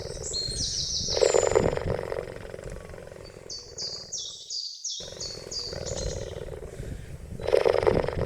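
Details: Cheetah giving a rough, rapidly pulsing purr-like rumble in long bursts, loudest near the start and end, while bright whistled bird chirps step up and down high above throughout.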